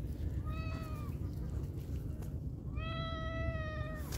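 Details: Domestic cat at feeding time with canned food; two clear tonal meows, a short one then a longer, steadier drawn-out one after a pause, over a constant low rumble.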